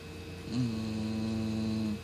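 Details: Single drawn-out snore from Bonnie, a 17 lb female Cocker Spaniel sleeping at night, loud enough to wake people: a steady, buzzing nasal tone lasting about one and a half seconds against faint mains hum.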